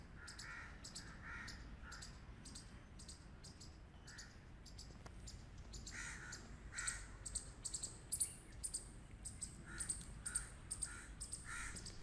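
A squirrel gives harsh, clipped barks in quick runs, with a steady low rumble of background noise.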